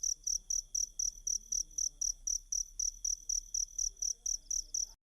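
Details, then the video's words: Rapid, evenly spaced cricket chirps, roughly four shrill pulses every second, form a sound for training Kacer (Oriental magpie-robin) songbirds, with a soft low background hum. "Ajari Kacer Mu Dengan Tonjolan Suara Jangkrik"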